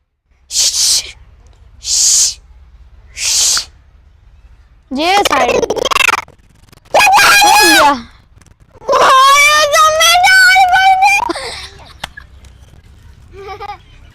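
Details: A pair of three-year-old chimpanzees (Pan troglodytes), brothers brought from South Africa, fight: harsh breathy bursts, then shrill wavering screams rising and falling in pitch.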